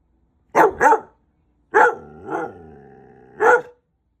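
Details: White husky talking back after being told it is bedtime: two quick yelping barks, then a drawn-out grumbling howl with a dip in the middle and a final sharp bark, in a quiet room.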